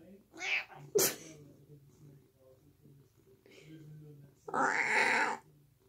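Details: A male house cat sitting on a toilet in a bathroom meows to beg for food, giving a hoarse, raspy 'smoker' meow. One loud, harsh, drawn-out meow lasts about a second near the end, after a sharp click and a person's voice.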